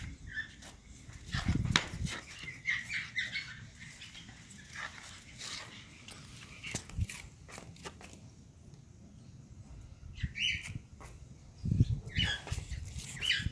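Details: Male Pug puppies give short, scattered squeaky yelps and whimpers amid soft shuffling noise.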